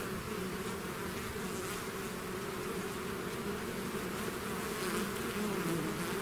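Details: Continuous buzz of a bee swarm emerging from its hive, a steady low drone of countless wings that grows slightly louder toward the end.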